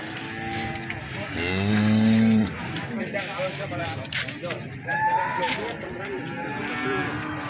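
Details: Cattle at a market in Plaosan, Magetan, sold as young feeder stock: a loud moo with stacked harmonics swelling for about a second, followed by murmuring crowd noise and bustle.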